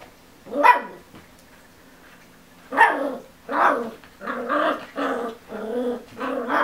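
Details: Ten-week-old Miniature Schnauzer puppy Remmy, stuck on a couch and wanting to get off while watching the adult schnauzer Kiko walk around indoors. He gives a sharp yip, a pause, then a run of short, whiny, grumbling barks about once a second.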